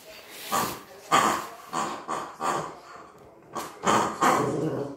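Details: Maltese named Cookie, frightened by an unfamiliar new toy, lets out a run of short yappy barks roughly every half second, some with a rough growling edge, over a faint steady background hiss.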